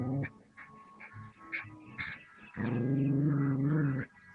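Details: Puppy confronting a snake, giving a deep, rumbling growl that swells and holds for over a second near the end, after scattered shorter grumbles.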